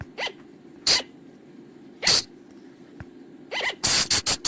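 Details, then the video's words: Flying lemur lure sound for night use in the forest. Soft arched chirps and a few harsh bursts are spaced out, ending in a quick run of loud rasping bursts. "เสียงต่อบ่างป่า หรือพุงจง,พะจง flying lemur sound"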